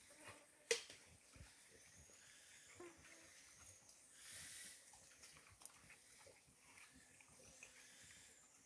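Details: White-lipped peccaries at a salt lick. A sharp click early on, soft scattered low grunts, and a breathy, hissing wheeze lasting about half a second midway, over faint steady background hiss.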